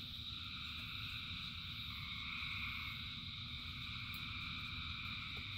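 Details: Rain-time frog chorus of countless callers, constant high pulsing trills layered over one another above a low murmuring background.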